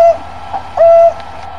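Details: Lost African wild dog searching for the rest of its pack: two clear, steady, flute-like hoo notes at even pitch, a short one then a longer one about a second apart, with a faint low hum behind.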